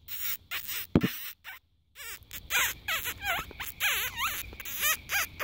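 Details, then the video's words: Fox barking in the spotlight after dark, a dense, excited series of yelping barks with rising and falling ringing tones, closely packed and overlapping. "Barking Fox"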